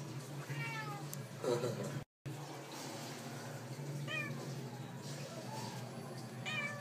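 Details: Domestic cats meowing indoors in a small room, with a few harmonic rising-falling meows spaced across the recording, steady low hum underneath, and a person asking questions nearby.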